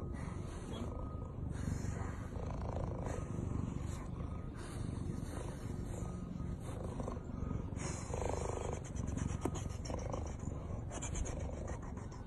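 A tiger's deep, steady purr, a low continuous rumble that barely changes throughout.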